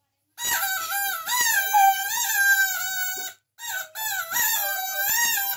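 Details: A dog singing in squeaky, whining howls, one long phrase with wavering pitch, then a short gap and two more shorter howls.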